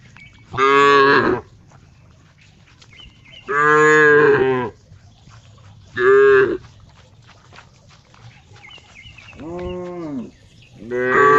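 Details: Cow giving a series of five loud, harmonically rich moos over eleven seconds, each roughly a second long, some bending downward in pitch, with faint birdsong between calls.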